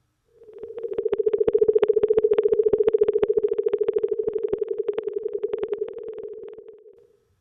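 An Atlantic minke whale gives a rapid, buzzing train of pulses with a steady nasal tone.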